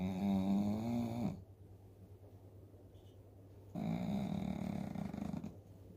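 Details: Asleep after a meal of kibble, Dooly the 11-year-old Shih Tzu gives loud, droning snores, a tonal buzzing inhale then a rougher, breathier one, separated by two quiet seconds.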